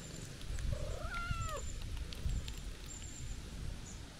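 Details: A calico cat, apparently a stray, comes to meet a person with a short, bright meow that rises and falls, a happy greeting.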